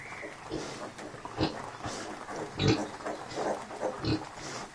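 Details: Kunekune sow with her five-day-old piglets, the sow unwell and grumpy but up and about and feeding them; short, low, rough grunts come in irregular bursts about every half second to a second, some louder and deeper than others.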